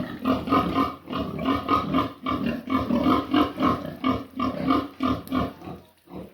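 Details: Pig heard at noon giving a long series of quick, harsh grunts, about three or four each second, continuing almost without break before fading at the end.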